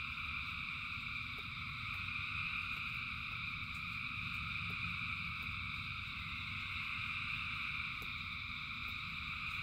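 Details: Thousands of frogs keep up a seamless high trilling chorus through the rain, unchanging in level, accompanied by low rushing rainfall and sporadic clicking drips.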